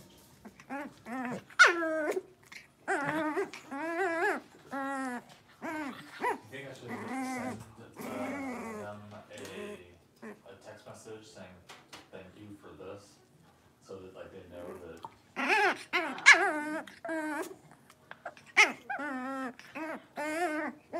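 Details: Blenheim Cavalier King Charles Spaniel puppies, a litter of five born at New Year's, playing in a puppy pen; bursts of high harmonic whines, yips and short squeals come in clusters, with quieter grumbling growls between them.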